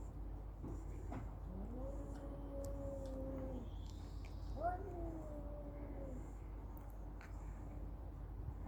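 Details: Cat during a fight giving two long, low, steady moaning yowls, each held about two seconds with a slight rise at the start, over a quiet background hiss.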